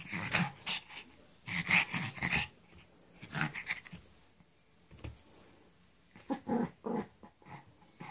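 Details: Shih Tzu named Chula growling while playing with her ball: a run of short breathy, throaty growl bursts in uneven clusters, low rumble under a raspy hiss, inside a small room.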